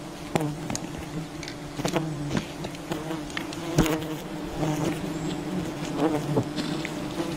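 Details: Many wild bees droning around their nest during honey harvesting, constant humming band with overtones, punctuated by repeated sharp cracks and thuds of work on the colony.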